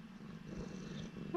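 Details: Urara, a former rescue cat, purring softly while her owner talks to her: a low, steady rumbling drone with faint pulsing and no other clear sounds.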